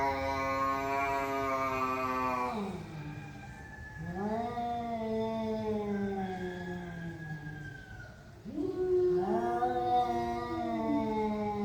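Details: During a tense standoff between two cats, long harmonic yowls rise and fall in pitch, each dropping into a low moaning growl before another wavering wail starts up, loud and continuous.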